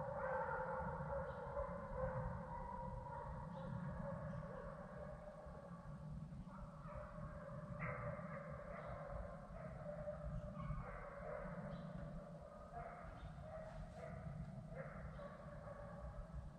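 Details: Several deer hunting hounds bay in long, drawn-out bawls from different directions over a low, steady rumble, running deer across 75,000 acres of Sandhills game land in North Carolina, dogs bumping in several spots, some miles from the road.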